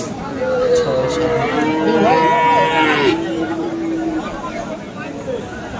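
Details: At Aftabganj cattle market in Dinajpur on 21 February, where Friesian and crossbred bull calves are sold, one long, steady, drawn-out moo lasts about four seconds, then fades into the hum of people talking.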